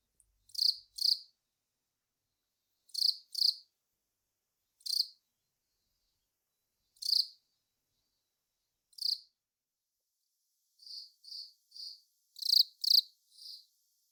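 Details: Velarifictous aspersus cricket song: short, high, bright chirps, singly or in pairs every two seconds, then a faster run of six chirps near the end; no other sounds.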